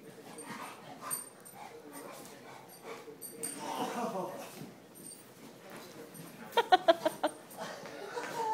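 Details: Rambo the dog at play, with soft whines and rustling, then a burst of five or six sharp, loud barks in quick succession near the end.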